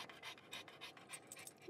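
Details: Pug eating a banana indoors, breathing in quick, rhythmic huffs of panting, about three breaths a second, with a wet, smacking quality and a person talking quietly nearby.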